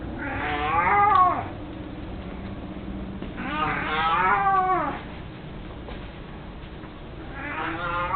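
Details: Elderly pet cat Mico, eighteen years old and mostly blind, at home with his beloved toy mousey: three long yowling meows spaced a few seconds apart, each bending up then down, over a faint steady background hum.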